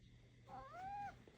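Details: A house cat lets out one long, smooth meow that bends up and settles back down, lasting roughly half a second to a second, amid a quiet room with a person's encouraging Korean speech nearby.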